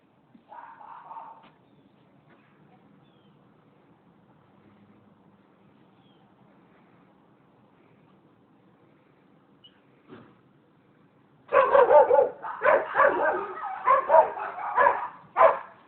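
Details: Dogs barking at a residential property in Seminole, Florida, on 27 January 2015; one short harmonic burst near the start, a long quiet stretch, then a loud, rapid run of overlapping barks over the final four seconds.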